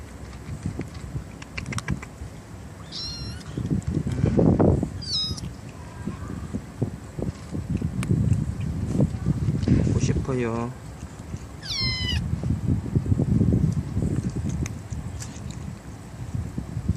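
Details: Young stray kittens, four siblings raised in a residential area by a bus terminal with help from a black aunt cat, meow repeatedly: thin wavering cries scattered across the stretch, amid low rumble and murmured human talk.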